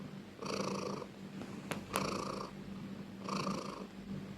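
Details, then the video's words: Close, loud purr of a pet cat: two drawn-out rumbling breaths about three seconds apart, with a couple of soft clicks between them. "Cat sound part 3 || Cat purring loudly ||Suara kucing mendengkur"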